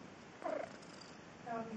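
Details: Pet cat indoors replying to its owner calling it: a brief falling meow, then a quieter drawn-out note, with the woman's voice calling nearby.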